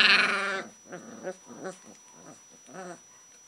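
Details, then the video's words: Alaskan Malamute puppies of the Inuit Legend litter from the Illa Kuvianartok kennel, sired by Seeker out of Rita; a loud harmonic whine opens, then several faint, short squeaky whimpers follow at irregular intervals. "Alaskan Malamute puppies"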